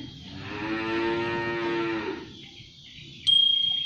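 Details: Cart-pulling sapi londo cattle wearing shoes give a long, steady, rich-toned moo lasting nearly two seconds, followed by quiet, then a sudden sustained high bell ring.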